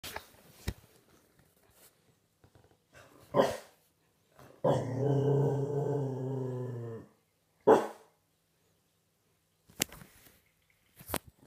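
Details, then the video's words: Six-month-old Staffordshire Bull Terrier puppy growling loudly: one sustained, deep rumbling growl of about two seconds, with scattered short thumps and clicks before and after. "Dog Growling Really Loud"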